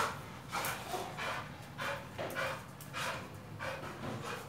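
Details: Pit Bull being trained with a tyre, breathing hard in rhythmic breathy bursts, each lasting about half a second and coming at a steady pace, with a low rumbling background underneath.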